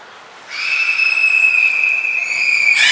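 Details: Captive belugas Nana, Mirai and Niko during a training session at Port of Nagoya Public Aquarium, 11 January 2021; a steady, level whistle holds one pitch for over two seconds, then a brief bright burst at the end.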